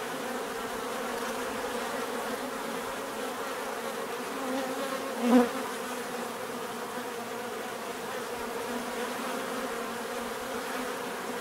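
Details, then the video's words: Steady hum of many bees buzzing together, an even layered drone, with a single loud close fly-by swelling briefly just past five seconds. "bees therapy relaxing natural buzzing sound"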